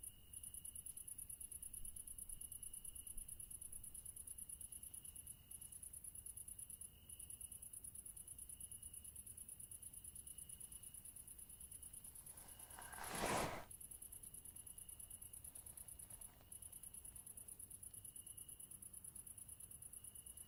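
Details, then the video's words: Steady high-pitched cricket chirping runs throughout with a few short breaks, interrupted near thirteen seconds by a sudden loud broadband whoosh or thump before the insect chorus carries on unchanged. "Crickets Sound Effect HD"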